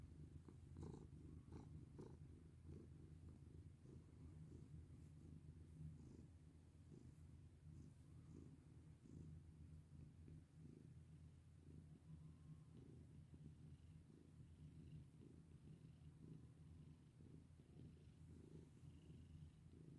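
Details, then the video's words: Domestic cat purring while being petted: a steady low rumbling drone, continuous throughout with slight rhythmic pulsing of breaths, faint soft rustles above, indoors. "Pet my sweet cat with me!"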